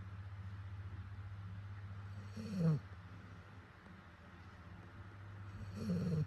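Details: A sleeping dog with a face like an old man's snores. Two rough, snorting breaths rise from low to higher pitch about three seconds apart, over a steady low hum.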